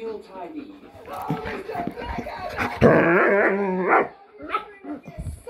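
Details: Pet dogs, a German Shepherd and a Jack Russell cross Chihuahua, 'talking' in their own dog language: a loud wavering, whining howl with stacked tones lasting about a second, with a person's speech before it and quieter sounds after.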